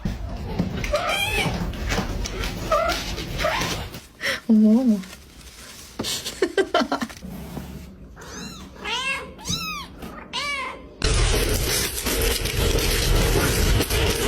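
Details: Mother cat, possessive of her kittens, gives a run of loud arching meows, three or four in quick succession near the middle, mixed with human speech indoors, then a burst of broad rushing noise at the end.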